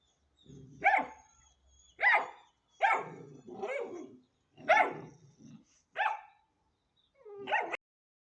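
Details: A 10-week-old Hanoverian Scenthound puppy gives seven short, sharp yelping barks at uneven intervals over about eight seconds, some bursts doubled, with quiet pauses between them.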